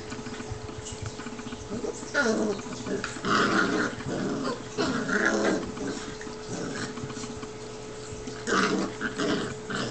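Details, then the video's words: Two seven-week-old Newfoundland puppy brothers, Huck and Sawyer, wrestling in play; rough, throaty growls come in bursts of about a second, several in a row with short pauses, over a steady low hum. "7 Week Old Newfoundland Puppies Enjoy Wrestling"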